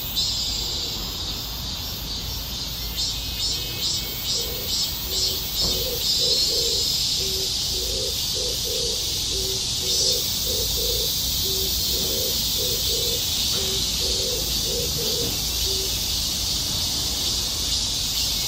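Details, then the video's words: Cicadas in a dense, hissing high-pitched chorus that pulses rapidly at first, then settles into a steady drone, with a series of short low tonal notes sounding partway through. "매미소리 / 매미울음소리 / 매미노래소리"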